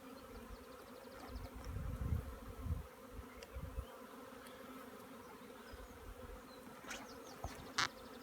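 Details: Collecting a honey bee swarm: a low, constant hum of many bees beneath louder handling thumps and scrapes in the first seconds, plus faint higher clicks and a sharp knock near the end.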